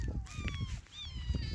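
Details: Motherless kitten giving brief, high cries, one falling and one rising, mixed with low background rumble and bits of nearby human voices.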